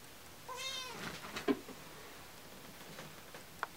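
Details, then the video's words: A pet cat gives one short drawn meow, falling at the end, followed by a thud and light tapping in a quiet room. "Sida meows"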